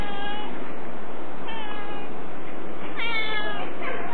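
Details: Domestic cat meowing, three harmonic, slightly falling mews about every one and a half seconds, over a heavy, steady hiss in a narrow, muffled recording.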